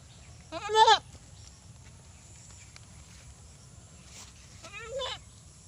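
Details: Two bleats from a desi goat: a strong, quavering, nasal cry near the start, then a softer, shakier bleat about four seconds later, with low steady background noise between.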